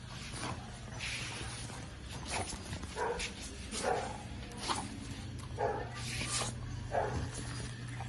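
A French Bulldog sniffles and snuffles in short, breathy bursts, with a few brief nasal whines mixed in.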